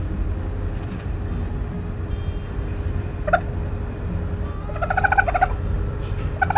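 A raccoon gives brief, warbling, chittering cries over a steady low rumble.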